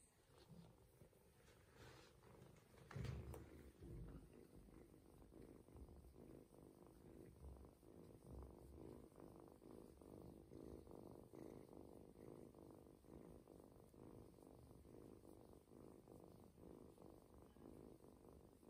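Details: Adopted male ginger kitten purring while getting a belly massage to help him toilet, relaxed and nearly falling asleep; steady low rumbling purr with dense rapid pulses throughout, one brief louder rustle near the start.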